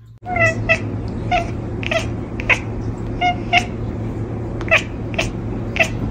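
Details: Domestic cat chattering: short, sharp chirps repeated roughly every half second, each a brief bright tick, over a steady low hum and background hiss indoors.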